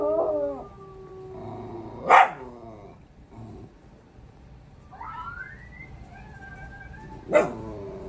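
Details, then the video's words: Several puppies answering a dog howl challenge with wavering, harmonic howls, broken by two sudden sharp yips, and a rising, quavering howl that trails off midway. "Dog howl challenge"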